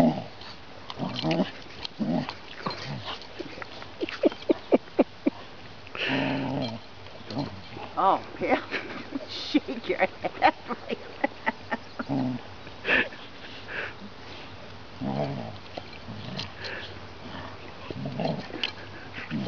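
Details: Rough play between Bailey, a seven-month-old chocolate Labrador puppy, and Vaska, a 20-month-old Ridgeback: scattered short growly and whiny dog noises amid scuffling, with a person talking and encouraging the puppy to shake her head.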